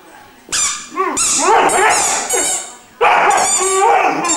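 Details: Irish Wolfhound puppy Glor na Gael Iarla, aged three months, singing with bright yelping howls that waver up and down, two long sustained bursts split by a brief silence.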